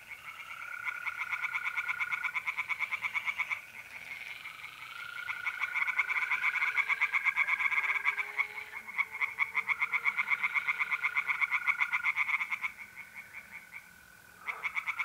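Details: Tree frogs sing in a pond by night in north-east Italy in the middle of April: loud bouts of rapid rattling pulses rise and fall, interrupted by short lulls, with mole crickets trilling steadily behind.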